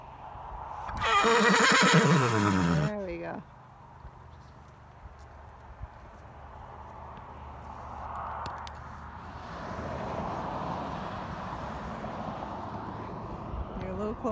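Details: Tennessee Walking Horse giving a loud, two-second whinny that starts high and shakes downward, followed by quieter stretches of people talking and a rising, passing engine rumble as motorcycles approach.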